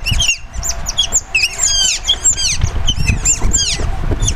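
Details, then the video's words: Asian small-clawed otters (Aonyx cinerea) in captivity at Zoo Duisburg, Germany, calling while they wait to be fed: loud, dense overlapping squeaky chirps, many sharply falling, fired rapidly by a group of animals. "Cute otters making funny noises while waiting for the feeding"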